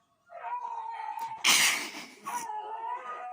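A dog gives a drawn-out, nasal whining note that wavers slightly, broken by a brief noisy burst.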